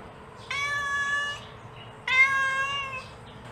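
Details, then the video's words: Mother cat calling her kittens: two long, even, harmonic-rich meows about a second each, separated by a short pause, over a low steady background hum. "Suara Induk Kucing Memanggil Anaknya"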